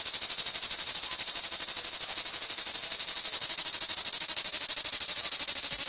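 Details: A live cricket makes its noise, a continuous high, thin buzzing trill made of fast regular pulses, steady in loudness throughout with no other sounds.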